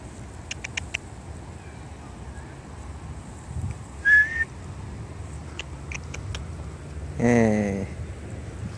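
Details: Library stray cat coming when called, one of several strays (Jin, Aeong, JeomBagi) that answer people's calls; a whistled call near four seconds, then a short harmonic meow rising and falling around seven seconds, with faint clicks and low background hum.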